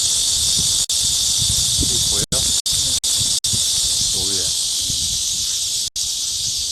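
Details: Cicadas in high summer: a continuous shrill buzzing hiss broken by several very short cuts, with quiet human voices murmuring below the drone.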